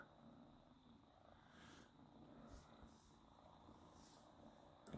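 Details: A small domestic cat purrs while grooming itself thoroughly: a low, soft continuous rumble under quiet licking and rustling bursts, ending with a sharp knock.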